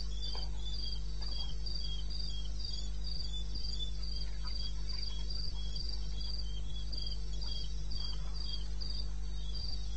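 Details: At 02:30 AM on 21 May '16 in the eastern Botswana wilderness, crickets keep up rapid, regular high chirping, about 200 pulses per minute, two overlapping voices at slightly different pitches above a steady deep hum.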